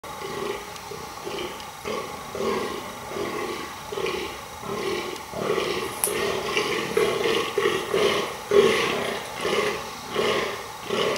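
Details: A fallow deer buck gives deep, belching groans in quick succession during the rut, groaning almost non-stop to impress females.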